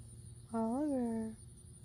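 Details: Oliver the cat, reacting after hearing a loud noise, gives one drawn-out meow lasting under a second that rises slightly then sinks, over a steady low hum.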